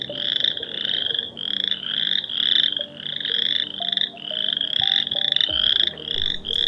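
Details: Chorus frogs, tiny quarter-sized frogs heard in the woods, give loud, high, rapid pulsed trills that overlap one after another in a steady chorus.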